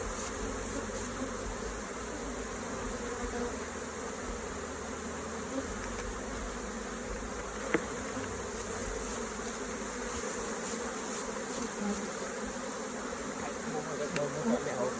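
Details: A dense, continuous droning hum of many honey bees at their hive during hive inspection and honeycomb harvesting, steady in pitch and loudness, with one sharp tap midway and faint clatter near the end.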